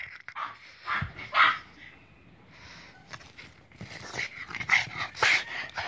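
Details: Boston Terrier from a kennel, coaxed by a person in Hungarian to say hello on command, answering with short high whining yelps and thin tonal whines at irregular intervals, broken up by the person's repeated prompting speech.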